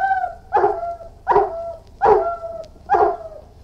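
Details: Irish Wolfhound barking: four deep, gruff barks repeated about every three quarters of a second, each with a short whining tail, a thin whine also heard between them.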